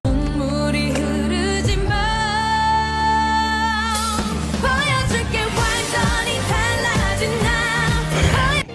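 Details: Loud pop music with singing and sustained synthesizer tones, without any animal sound.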